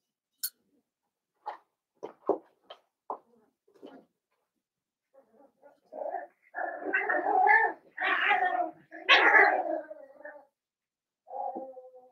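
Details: Blenheim Cavalier King Charles Spaniel puppies, seven weeks old, in an indoor puppy pen from a litter of five. A few scattered soft clicks give way to a run of drawn-out, harmonic whining yelps, then one last short whine.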